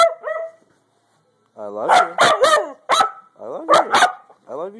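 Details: A dog asking for food, giving drawn-out, wavering, howl-like vocal sounds in several bursts with rich harmonics, some rising and falling, and a short gap of silence between them; a person talks back nearby.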